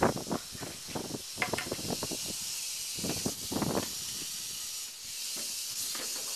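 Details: Northern Pacific rattlesnake, Crotalus oreganus, giving a steady high, breathy hiss that runs unbroken through the whole recording, with scattered low thumps and clicks of handling or movement noise beneath it.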